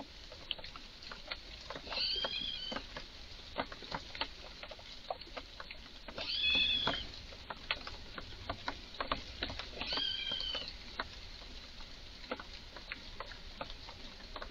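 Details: Agitated red squirrel calling in a garden: three loud, tonal, quavering cries spaced about four seconds apart, each with layered harmonics, set against continuous dry clicking and tapping sounds.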